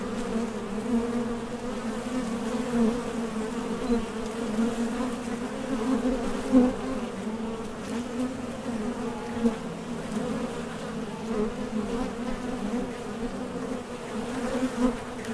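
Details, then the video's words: Honey bees leaving and landing at the entrance of a top bar hive while collecting nectar, a constant low humming drone with faint flickers of louder buzz as single bees fly past. "HONEY BEES Sound Effect #MasonJar | BEES BUZZING"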